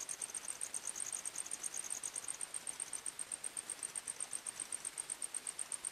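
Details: At night in a forest, crickets trill in quick, regular high pulses, about three per second, with a slightly lower second caller joining intermittently; quiet hiss underneath.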